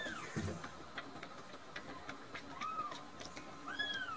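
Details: Rescued baby kittens Nan-chan and Cookie-chan, full after drinking milk and getting drowsy. Two thin, arching mews late in the clip, the second higher and drawn out, over soft rustling and faint indoor background noise.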